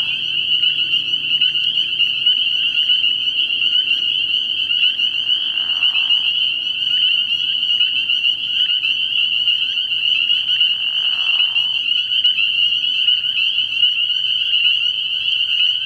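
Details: Spring peepers fill a frog pond at night early in the year with a relentless high, ringing peep chorus; two short lower raspy bursts break in midway, over a faint low hum.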